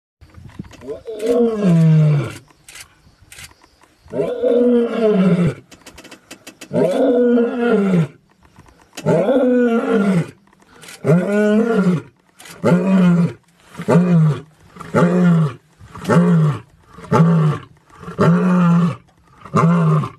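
A big cat roars in a series of deep, harmonic bursts that shorten into rhythmic grunts.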